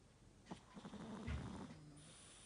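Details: Elderly 'grandma' Chihuahua with a slightly stuffy nose, snoring indoors: low, rough, rumbling breaths that swell through the middle of the short stretch, with a faint nasal rasp and no other sounds.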